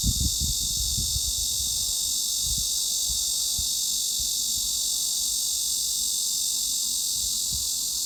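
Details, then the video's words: Cicada buzzing presented as mid-frequency masking sound for tinnitus and better sleep: an unchanging, dense high drone over the whole stretch, with a few soft low thumps, mostly near the beginning. "중주파_매미 / Mid-Frequency_Cicada"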